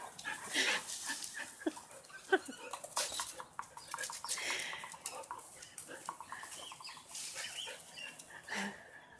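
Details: A Great Dane gives a run of sharp, repeated barks during playtime while a person calls out "whoa" over them.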